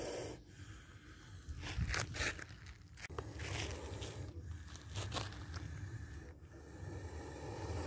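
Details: Spectacled cobra hissing while striking, caught on camera in a narrow escape from its bite; several short, harsh, breathy bursts near the second and fifth seconds over steady outdoor rustling and scraping.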